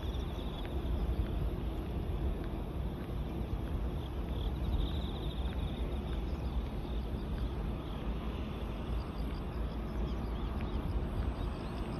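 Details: Steady low rumble of wind and distant traffic, with no clear animal sound.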